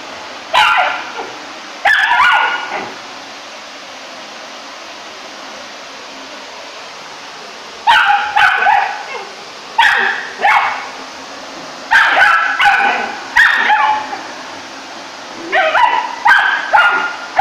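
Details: Rough Collie puppy aged three months barking at the vacuum cleaner it dislikes: clusters of shrill, yappy barks, a quiet gap of several seconds, then rapid repeated barks in groups of two or three.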